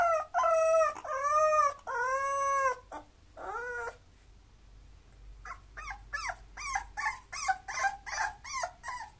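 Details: A mixed-breed Bulloxer lets out three drawn-out, arching whines, each almost a second long. After a brief pause comes a rapid, uneven string of short, sharp yips with a rising-then-falling shape.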